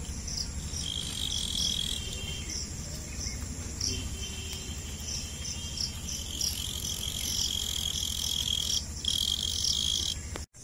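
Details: Continuous high chirping from a cricket, known locally as jhingur, with overlapping pulsed notes and a steady piercing tone, broken by a brief drop near the end, over a faint low hum.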